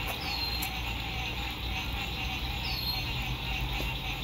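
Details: Frogs by a lake at sunset during spring 2021 RV camping: steady high trilling chorus, two drawn-out descending whistles, and a heavy low hum of road noise.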